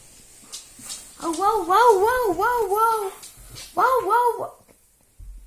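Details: Siberian Husky waking its owner by howling indoors, sounding sorrowful: warbling, wavering 'woo-woo' howls in a run of about two seconds, a short pause, then a briefer second burst.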